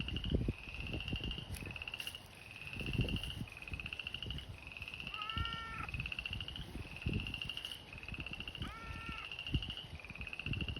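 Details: Pond frogs in spring at an abandoned fish pond, seasonal and drying in summer; rhythmic pulsed trills in sequence, two bursts of stacked descending notes, with low rustles and knocks throughout.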